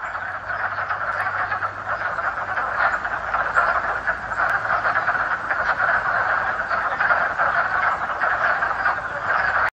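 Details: A dense spring chorus of male wood frogs in Vermont calling at a mating pond to attract females, countless low clucking, quacking croaks blending into a steady, duck-like chatter.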